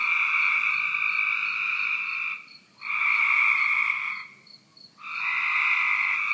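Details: Cope's gray tree frog heard from a back deck, giving loud, rough, buzzing trills of one and a half to two and a half seconds, with brief gaps of about half a second between them.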